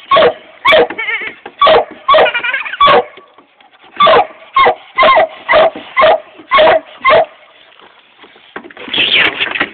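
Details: A 7-month-old Treeing Walker Coonhound puppy barks at a coontail in sharp, loud bursts, about two each second.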